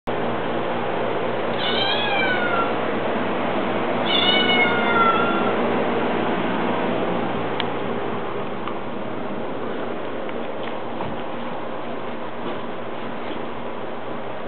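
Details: An Italian Greyhound drying off after a bath gives two short, high, falling whines over steady rustling noise.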